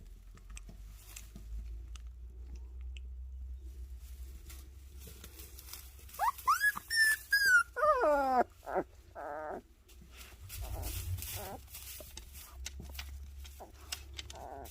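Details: Jindo dog puppies of Sunsimi and Joy indoors, a run of high whining whimpers sliding down in pitch around the middle, preceded and followed by soft shuffling and movement noises, low hum throughout.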